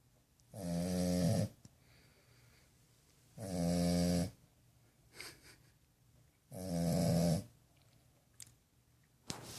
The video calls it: Snoring french bulldog puppy